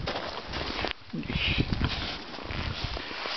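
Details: Wild boar named Pasanen in an enclosure on a late winter afternoon in 2011, giving short, breathy, broadband sniffing bursts in quick irregular succession with soft shuffling underneath.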